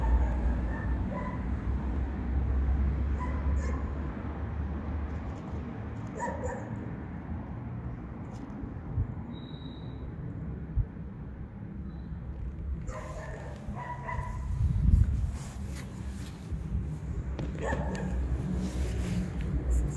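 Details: Hungry street cats calling outdoors: short, tonal meows come in scattered bursts, a few near the start and a cluster around the middle and end, over steady low traffic rumble and urban background noise.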